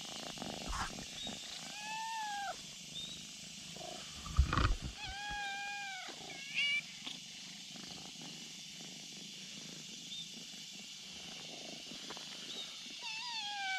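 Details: On a bridge, a kitten summons a black cat with its cries: four short falling meows spread across the recording, with a few sharp knocks midway and a constant high buzz behind.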